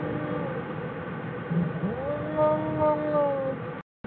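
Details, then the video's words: Bear 'singing' inside Jewel's den, January 16, 2013: a soft background murmur gives way midway to a smooth, rising then level humming tone with overtones, held for over a second before the sound cuts out. "Jewel's den .. Singing bears"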